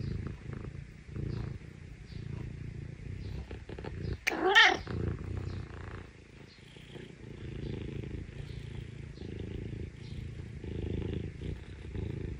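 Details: Rescued Scottish Fold Parumu, the younger brother cat, in an affectionate mood with its owner, gives a steady rumbling purr that swells and fades with each breath, broken once near the middle by a brief sharp rustle.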